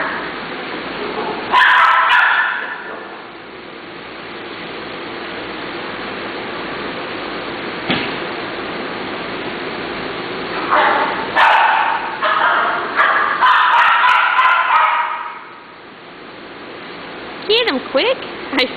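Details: Female Curly-coated Retriever playing with a younger male dog friend on his last day at daycare: bursts of rough, excited barks and yips come in clusters, one early and a longer run later, with quieter room noise between.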